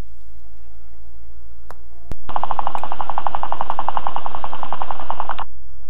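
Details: A guinea pig chatters its teeth in a fast, steady burst of clicks, a sign of anger meaning it wants to be left alone.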